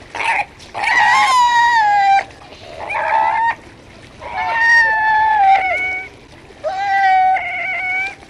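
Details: Fur seal calling: four drawn-out, bleating cries rich in harmonics, each lasting one to one and a half seconds, with a slightly wavering, gently falling pitch, separated by short quiet pauses. No other sounds stand out.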